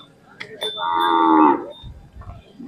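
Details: Khillar cattle offered for sale at the Kole fair, Sangola, Solapur district, May 2025: one loud, drawn-out harmonic moo lasting under a second, preceded by a couple of sharp knocks, followed by low shuffling and crowd rumble.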